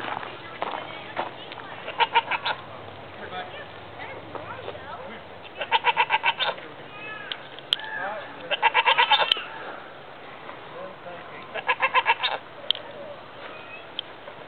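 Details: Mini goat at Bearizona, bleating back during a brief exchange with a visitor: quavering, pulsed bleats in bursts of about a second, near 2, 6, 9 and 12 seconds, with a person talking between them.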